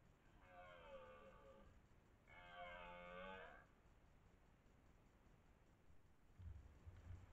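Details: A dominant twelve-point red deer stag, master of the area, roars during the 2023 rut near Lartigau, Milhas, France: two drawn-out, harmonic bellows about two seconds apart, the second stronger, then faint low thuds over steady background hiss.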